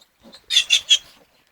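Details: Little piglet giving three short, high, noisy squeals in quick succession, spaced about a fifth of a second apart, with faint softer sounds just before and after; no voices over the calls.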